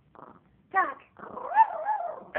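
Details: Male dog greeting his owner with soft, cooing, whine-like yodels that rise and fall in pitch, prompted to talk.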